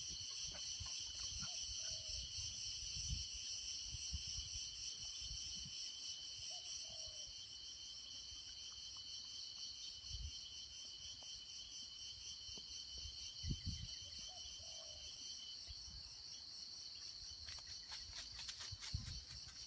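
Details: Crickets at Nam Nao, Phetchaboon, Thailand, at 9 a.m. on a tropical morning: continuous high shrill trilling bands layered steadily throughout, with occasional faint low thumps and a few soft distant chirps.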